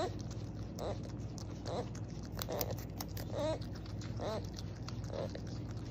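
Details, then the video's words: Beaver giving short, nasal, wavering whines, about five cries spread through the stretch, some with a quavering rise and fall, over a steady low hum and soft crunching, chewing noises. "Beaver sound, beaver scream"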